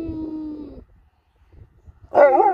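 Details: Sherpa, a female Alaskan Malamute, reacting when being taken home: a steady, slightly falling whining howl, a brief pause, then a louder wavering, warbling vocal burst with rich harmonics.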